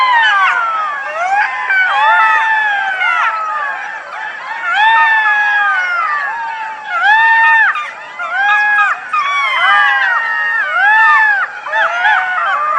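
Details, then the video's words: Chorus of golden jackals: many voices overlap in quavering howls and short arched, yelping wails repeated in bursts, building and fading in waves with brief pauses between. "Golden Jackal Sound II Jackal Howling Sound"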